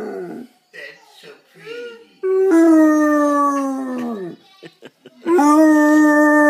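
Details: Howling from an 11-year-old Basset Hound, opening with brief murmuring sounds, then a long, sustained tone that slowly sinks in pitch, a few soft noises, and a fresh howl starting strong at the end.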